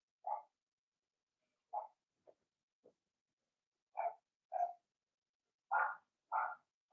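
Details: Young Blenheim Cavalier King Charles Spaniel puppies, one of a litter of six, in a home puppy pen. Brief yelping barks are spaced irregularly, with a few fainter squeaks between them. The last three calls grow louder and broader.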